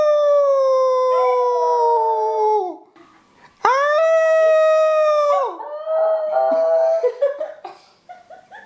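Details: Puppy howling on command indoors: a long, slightly falling howl that sags at its end, a short pause, then a second loud howl breaking into wavering, yelping notes that fade out.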